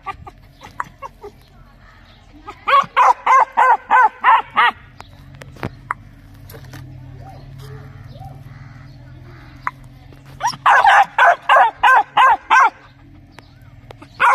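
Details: Loud dog barks in two rapid bursts of about seven barks each, separated by a quieter stretch with faint voices and a low hum in the background.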